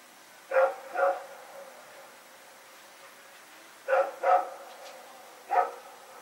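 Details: Rex and a fellow dog barking while running around at night, recorded September 21, 2018. Two barks, a three-second lull, a close pair, then one last bark, all short and loud.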